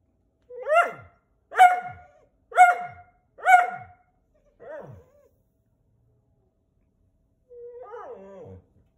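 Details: Whippets protesting the camera: four sharp, downward-sliding yelping barks about one second apart, then one softer yelp, a silent gap and a brief wavering whine near the end, in otherwise quiet surroundings.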